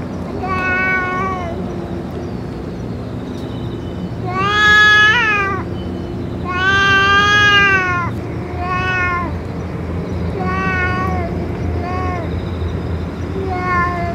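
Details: Stray cats in Japan, with a boss cat that has just eaten food and medicine: a series of harmonic meows, some long and arching, others short, arriving every second or two over a steady low hum.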